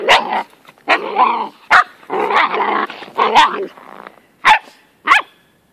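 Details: Lena, a 13-week-old Moyen Poodle puppy, playing with her very old, patient terrier brother; a run of short, harsh barks and yips at irregular intervals, with a couple of sharper, higher yaps near the end.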